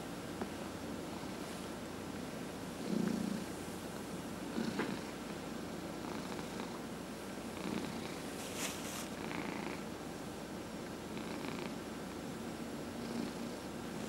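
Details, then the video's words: Purring house cat being massaged, from a household of four cats including senior adoptees; continuous low vibrating purr with brief louder rustles and touches near three and five seconds, gentle hand strokes recurring. "Four Purring Cats — Cat Massage"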